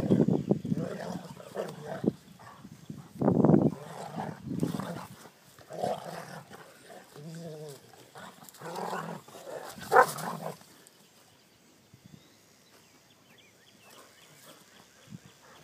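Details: Two dogs at play produce low rumbling growls and short rough barks in uneven bursts over the first ten seconds, one brief whining note midway, before the sound fades to quiet background.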